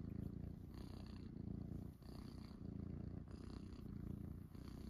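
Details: Morning purring from Munchkin kittens settled on a person's belly after waking: a low, dense, unbroken rumble with slight pulsing, briefly dipping near the two-second mark, plus light rustles.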